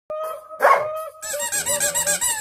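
A Labrador Retriever gives a high, steady whine, then a run of rapid yelping whimpers, asking for a ball.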